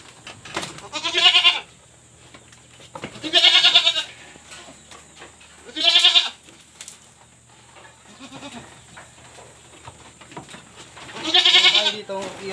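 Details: Pregnant goats kept on a backyard farm bleat four times, each cry loud, nasal and quavering. The bleats come every two to five seconds, with quiet shuffling between them.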